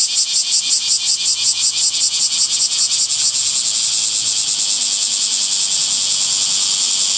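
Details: Summer cicadas: a high pulsing buzz beating rapidly for about three seconds, then fading into a smooth continuous shrill drone for the rest.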